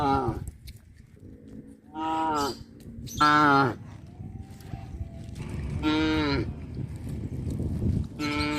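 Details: Cows being herded back to their pen through a fish pond area: several loud, harmonic moos, some long and falling, others short and rising, over low rumbling background noise.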